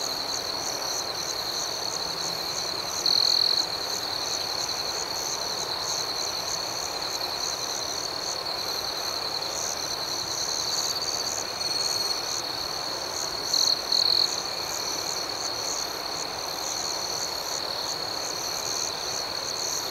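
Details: Nighttime cricket chorus, a continuous high-pitched ringing trill over a fine pulsing shimmer, with brief stronger chirp bursts near three seconds and again around thirteen to fourteen seconds.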